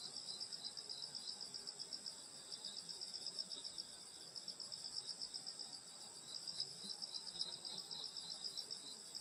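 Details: Countryside insects on a summer night at grandmother's house: layered high shrill trilling sustained throughout, pulsing chirps roughly four per second, with faint low-frequency background noise.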